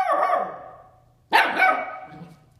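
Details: At 7 AM, Zoey, a Bernese Mountain Dog puppy of nine weeks, pesters ten-year-old Max to play while he ignores her; two bright, high-pitched barks about a second apart, the first fading slowly, the second abrupt and ringing.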